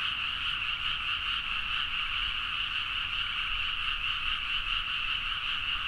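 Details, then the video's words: Large chorus of frogs calling energetically at midnight in rice fields of Nagaoka, Niigata, Japan, taken on a Zoom H4n. Overlapping rapid croaks form a constant, dense, pulsing buzz from start to end. "The frog sound at mid night (環境,自然音 -深夜のカエル大合唱-)"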